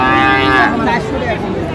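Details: Friesian or crossbred bull calves at Raniganj cattle market, Dinajpur, Bangladesh: a short bellow rising then breaking off, amid a busy market din of voices.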